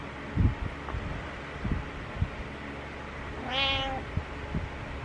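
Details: Morning meow from Butters, a house cat: a single rising-falling harmonic meow about three seconds in, with faint thumps and steady indoor room hum around it.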